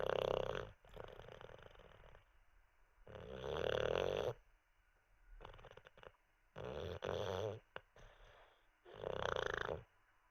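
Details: Olde English Bulldogge Teddy snoozing after treats, snoring loudly; four harsh rattling snores in ten seconds, some choppy and broken, with near-silent pauses between breaths.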